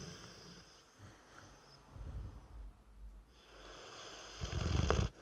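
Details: Three-year-old Dorset Old Tyme Bulldog named Brewster asleep, giving soft, low, irregular snoring breaths over a hissy background, ending in a louder rough snort.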